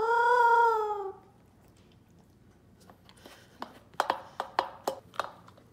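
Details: Female Pembroke Welsh Corgi pet in Phoenix, Arizona, giving a food 'awoo' while eating: one sustained, slightly falling howl of about a second, then quiet and a run of sharp clicking chewing or bowl sounds.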